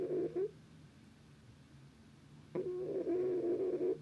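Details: Snoring domestic cat, the snoring starting up again: a steady, whistling nasal tone held for about half a second, a two-second hush, then a longer wheezy drone, all in a quiet small room.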